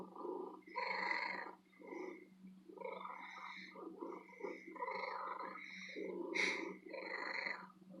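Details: Loud, long purring from a female cat kept in an antique store: uneven rasping pulses swell and fade with her breathing, one brighter hiss-like burst near the end, over a constant faint low hum.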